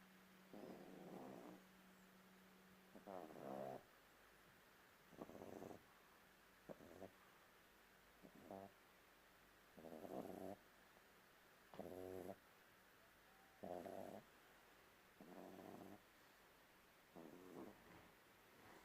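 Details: A young bulldog asleep and snoring: raspy, rattling snores in short bursts about every one and a half to two seconds, with a faint steady hum running underneath.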